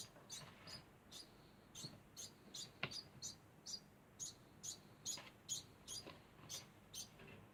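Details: Degu squeaking over and over, each note short and very high, spaced a little under half a second apart. One sharp tap breaks in midway.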